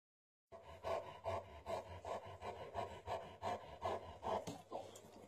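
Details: Landseer mother with her puppies: steady, breathy pulses with a faint tonal hum, about two and a half per second, each rising and falling evenly for several seconds after a silent start; no other clear sounds.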